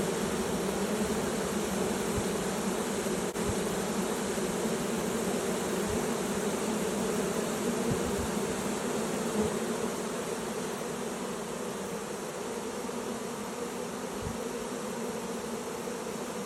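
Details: Honey bee swarm entering a new hive: a dense, steady droning hum that holds throughout, with a low buzzing band and a few faint soft knocks beneath it.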